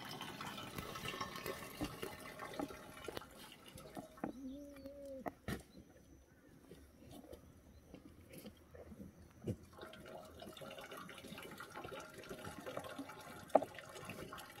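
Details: Black goats at Sunny's Black Goat farm, pastured on Mucheoksan slopes, Sangdong-myeon, Gimhae, South Korea, 2 July 2020, waiting for water in the yard; one steady harmonic bleat of about a second and a half amid dripping, splashing water and low chatter.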